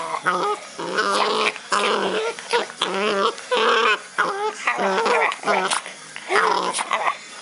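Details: Puck, a pet dog, making funny noises while playing, a rapid series of short whiny, growly yelps and whimpers with wavering pitch, bursts separated by brief pauses; a person's playful voice may be mixed in.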